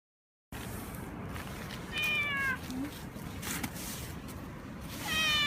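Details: Male domestic cat in heat, rubbing against things vigorously, gives two drawn-out, falling meows, one near the middle and one at the end, over steady low background rumble.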